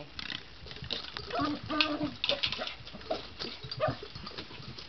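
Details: Poodle, excited during ball play around furniture indoors, giving squeaky, grunting whines in short uneven bursts, some held for half a second, alongside thumps and brief human voice.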